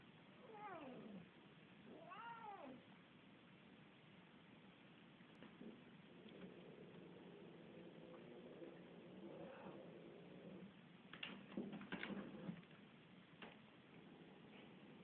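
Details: Luksus, a house cat, being annoying and fighting with Missy: two arching meows near the start, each rising and falling, then a long low growl-like drone, followed by scuffling knocks and clatter, with constant background hiss.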